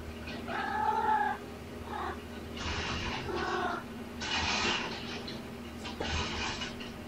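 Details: Domestic cats at play: mother Olympia chasing her kitten Button, a shelter-surrendered family with kittens born November 22; one short tonal meow near the start, then repeated scuffling, pouncing bursts of noise over a steady low indoor hum.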